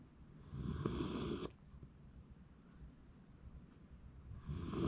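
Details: ['Shiba Inu asleep in January 2024, giving a harsh, rattling snore of about a second, then a quiet pause before the next rough breath begins.']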